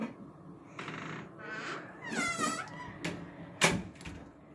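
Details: Domestic cat at home about to have its teeth brushed, giving a drawn-out wavering meow with rising and falling tone in the middle, amid rustling and handling knocks, with a sharp thump near the end.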